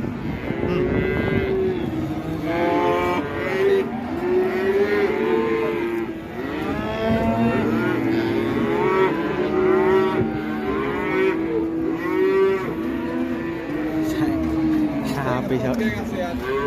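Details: A black bull raging as it is released gives a continuous run of loud, wavering moos, overlapping bellows rising and falling, with background chatter.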